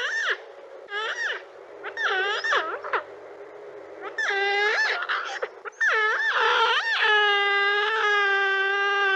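An otter gives high, whiny squeals, short rising and falling bursts about every second, ending in one long sustained wail. No other sounds stand out.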